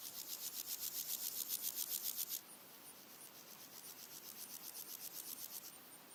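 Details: In daytime in early August, red-legged grasshoppers sing: a loud burst of quick scraping pulses stops abruptly, then a fainter grasshopper continues rasping, with other insects ticking and wind in the background.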